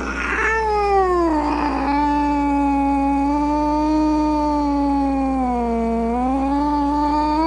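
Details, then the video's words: Domestic cat in a sustained low caterwaul, a strained moaning yowl held for several seconds that dips and rises near the end, after brief rough spits at the start. "Cat Sounds | Cat Meow Sounds, Snarling Sounds, Hissing Sounds | The Sounds a Cat Makes"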